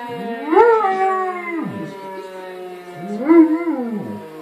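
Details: German Shepherd dog howling: two drawn-out harmonic howls, each rising, holding, then sliding down over about a second and a half, separated by a pause, over a steady, faint tonal drone in the background.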